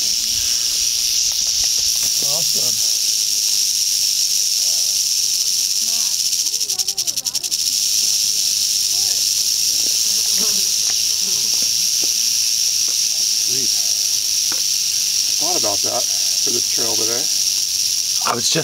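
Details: Western rattlesnake, Crotalus oreganus, met on 15 August 2010 on the East Molera trail, Andrew Molera State Park, near Big Sur, California; a continuous dry, high buzzing rattle runs throughout while people whisper and talk quietly.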